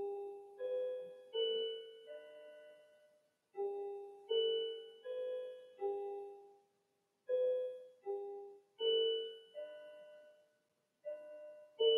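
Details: Quiet solo piano plays a slow melody of ringing notes in a small room, with short silent pauses between phrases and no animal sound.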